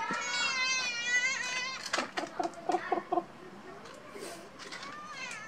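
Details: A cat gives a long, wavering meow lasting almost two seconds. Short choppy sounds follow, and a softer rising meow comes near the end.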